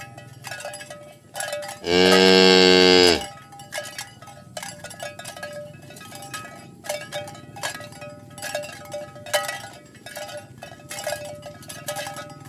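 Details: Dozens of tame cattle herded along village roads toward the pen in the morning; one loud, deep moo lasting about a second, with cowbells clinking steadily throughout.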